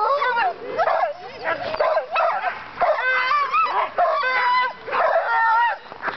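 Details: Sled dogs at a dogsledding outing, many animals calling together in a dense, continuous chorus of wavering yelps and short howls, pitched and bending up and down, overlapping with barely a pause.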